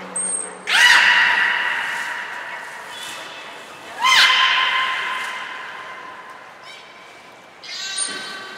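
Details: Captive belugas Hodoi, Taanya and Mirai at Nagoya Port Aquarium, Japan, on 14 March 2021, during a pool transfer and training. Two loud rising harmonic squeals about three seconds apart, with a brief high thin tone at the start and end.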